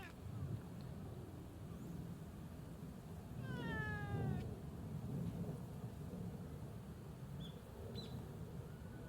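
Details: A community cat named Hachi, known for answering when called, gives one clear descending meow with rich harmonics, the pitch falling steadily over about a second, against low outdoor rumble and faint distant sounds.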